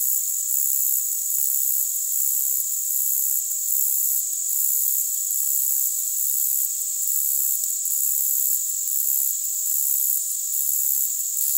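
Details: A short-winged meadow katydid (Conocephalus brevipennis) stridulates at 10–20 kHz, boosted with EQ, giving a thin, very high continuous buzz with soft pulses about once a second.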